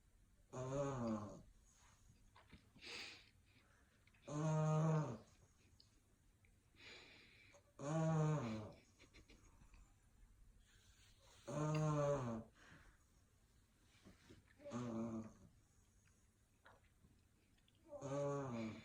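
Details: English Bulldog puppy asleep indoors, snoring steadily: buzzy, harmonic rasping snores about every three and a half seconds, each lasting around a second, with fainter wheezy breaths in between and a quiet room behind.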